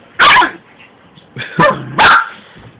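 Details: Buddy, a little Yorkshire Terrier, going after Nennah, a Shih Tzu, in a playful scuffle. Three sharp, loud barks: one near the start, then two close together after a pause, with a low growly tail after the second.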